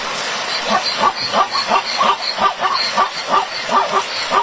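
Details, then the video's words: Zebra crying out while ambushed by crocodiles: loud, rapid, yelping barks repeated about three times a second, hoarse and nasal, in a steady run with a noisy background. "CEBRA SE PONE A LLORA AL SER EMBOSCADA POR UNOS COCODRILOS"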